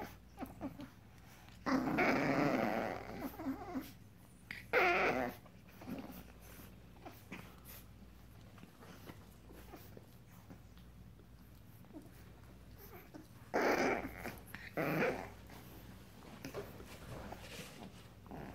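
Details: Seven-week-old Frenchton puppies, 87.5% French Bulldog and 12.5% Boston Terrier, from a litter of five: short bursts of rough growling and whiny yips in a few separate spurts, quiet between them.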